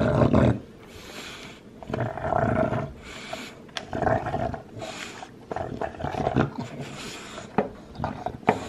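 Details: A 2-year-old male lilac tri Olde English Bulldogge gnaws a bone with wet crunches, sharp cracks and low throaty grunts.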